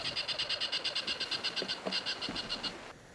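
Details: On a windy African safari morning, a tree squirrel (Paraxerus cepapi) gives a fast, high chattering alarm of about fifteen sharp clicks a second, in abruptly stopping bursts, warning of a possible predator such as an eagle, snake or big cat.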